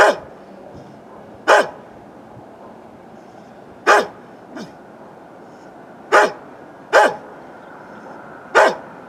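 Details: A neighbour's old dog barks in irregular bursts, filmed with a Canon Vixia HF R800: six loud barks with uneven gaps of one to two seconds, plus one faint quieter bark, over low steady noise.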